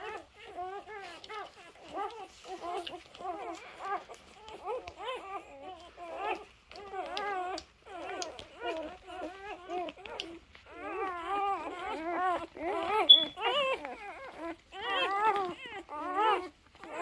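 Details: Cute three-day-old Labrador Retriever puppies squeaking and whining in a steady stream of short wavering cries, several overlapping, with one sharp high squeal near the end.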